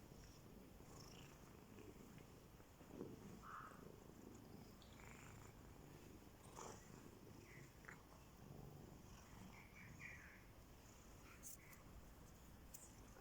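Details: Two domestic cats competing for their owner's attention purr with a steady low rumble, broken by a few faint, brief meows; cat.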